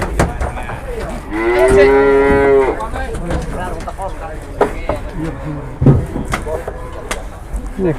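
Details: Cattle arriving on two trucks, one carrying a jumbo animal: a single drawn-out moo of about a second and a half, level and rich in overtones, set among clattering, thumps and crowd noise.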